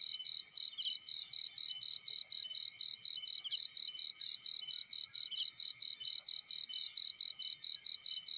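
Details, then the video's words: Cricket in a field, a steady train of shrill, high chirps pulsing about four times a second without pause, with faint softer insect buzzes beneath; no other clear sounds. "Warm Relaxing Fireplace In Field || Burning with Cricket Sounds"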